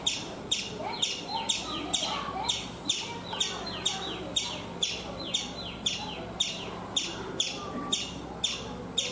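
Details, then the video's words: Chipmunk in a coconut tree in India repeating high, clipped chip notes about twice a second, each falling in pitch, with a faint low background murmur. "Chipmunk making sounds"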